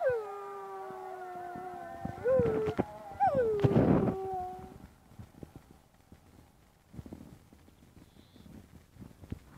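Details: Dog howling while the call to prayer is sung: drawn-out descending wails over the first four seconds with a few sharp bursts between them, then quieter background sounds and scattered clicks.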